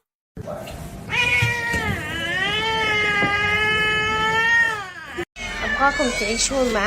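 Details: Domestic cat in a funny cat compilation letting out one long, sustained, drawn-out yowl lasting about four seconds, steady in pitch with a slight wavering, then broken off and followed by quick, bending vocal sounds.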